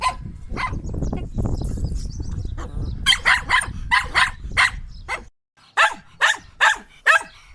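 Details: Shetland sheepdog barking: after a few seconds of low rumbling background noise, a run of six sharp, loud barks in quick succession, a brief silence, then four more evenly spaced barks.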